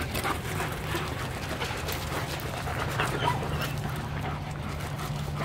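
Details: A pack of German Shepherds out on a long walk for exercise before Christmas photos; rapid, irregular breathy bursts like panting over a steady low hum, with a few faint whimpering tones.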